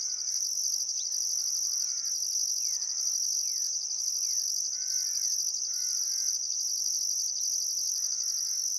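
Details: Australian outback crickets at sunset by the Barcoo River, Welford National Park, Queensland, in summer: a constant shrill trill with steady pulsing, while a bird repeats short descending whistled phrases every second or so.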